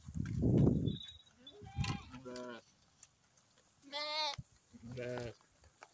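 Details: Sheep and lamb in the morning: a heavy low thump and rustle, then three short, nasal bleats in quick succession over a faint background hiss.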